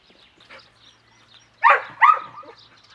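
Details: Cimarron Uruguayo, a trick dog working to hand signals at the Cerberus Illusion kennel, gives two loud sharp barks close together after faint background sounds.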